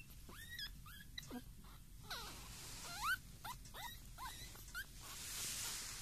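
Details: Pekingese puppies, 19 days old: thin, high rising squeaks and whines from the pups, several short upward-sweeping cries over six seconds, with a soft rustling background.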